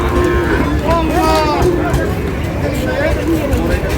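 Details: Sahiwal bull calves at a cattle market in Noakhali, Bangladesh, lowing in short, bent tones. Several overlap in the first two seconds, then fade under steady crowd chatter and general market din.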